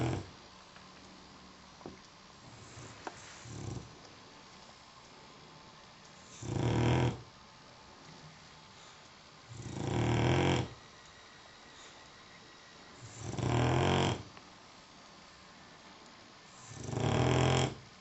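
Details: Sleeping dog snoring: four low, rasping breaths spaced about three and a half seconds apart, each swelling and fading, with faint quieter breathing between in a calm room.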